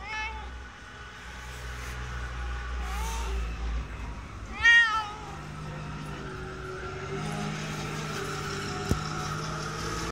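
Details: Inskitty, the cat living at a ski shop in Hirafu Village, Hokkaido, Japan, lets out a few short meows, the loudest near the middle, against a constant rumbling engine-like background noise.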